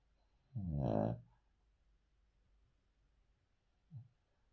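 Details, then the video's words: A Cavalier King Charles Spaniel sleeping on the floor gives one long, rattling snore, then a short low snort; his heart was checked by echocardiogram and found to give no cause for worry. "Cavalier King Charles Spaniel Snoring"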